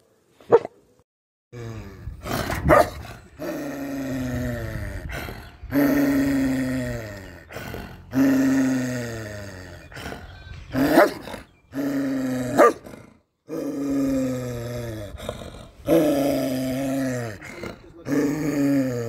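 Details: Bakarwal dog giving deep, drawn-out barks with rich harmonics that slide downward in pitch, repeated every second or two, some bursts rougher and growl-like, with brief silences between.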